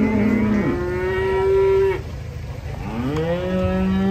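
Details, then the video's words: Cattle unloaded from a truck give drawn-out moos: a steady tonal bellow that ends abruptly, then a rising call levelling into a long held moo, with constant low-frequency background rumble. "KUMPULAN SAPI LUCU UNIK LONCAT TURUN DARI TRUK WADIDAW"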